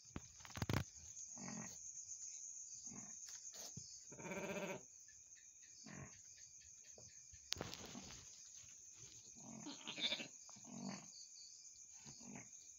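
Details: Goat that has just delivered two kids, giving one brief, nasal bleat in the middle, with scattered thumps, rustles and knocks and a steady shrill whine in the background.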